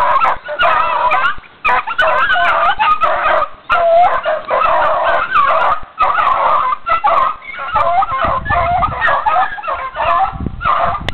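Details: Running dogs keep up a steady run of yelping barks and whines, dense overlapping calls from more than one dog, with brief pauses and a faint voice at times.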